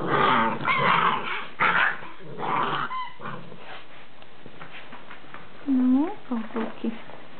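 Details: Rhodesian Ridgeback puppies from a litter, with human speech over the first three seconds, then several short rising-and-falling whimpers and squeals from the pups near the end.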